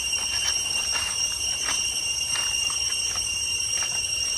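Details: Cicadas sounding in the deep jungle toward Chhay Yong Waterfall, Areng, Koh Kong Province, Cambodia: a constant high metallic ringing drone, while light footsteps or clattering knocks recur about every half second beneath it.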